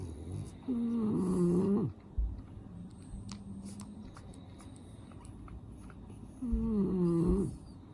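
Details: Snuffly-nosed French Bulldog, one of five male brothers, snoring in sleep: two drawn-out, wavering, honking snores about five seconds apart, each lasting roughly a second, with soft breathing and small-room quiet between.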